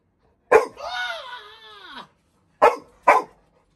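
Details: Labrador Retriever puppy Little John, frightened of a new kitten at home and complaining: a long harmonic whine that rises then falls, followed by two short sharp barks in quick succession.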